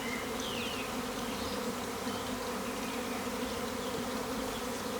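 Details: Honey bee swarm in a garden, late April 2020, thousands strong: loud layered humming that never pauses, with a brief bird chirp near the start.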